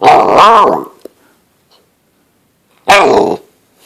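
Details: Great Dane puppy, a female eight weeks old, playing indoors with her owner: a loud rough growling bark lasting most of a second, then after a pause a second harsh bark.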